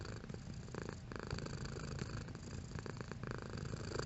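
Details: Domestic cat purring, intensity varying: a close, low, buzzing rumble with a pulsing flutter, lasting about four seconds without pause.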